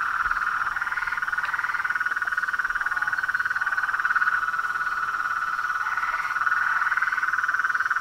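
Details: Toads, frogs and treefrogs calling together in a continuous rapid-pulsed trill, with higher overlapping notes swelling around the second and sixth seconds.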